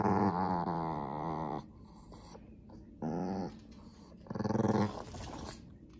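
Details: Indoor Pekingese growling when its toy mouse is taken: three rough, rumbling growls, the first long, the next two shorter, separated by near silence.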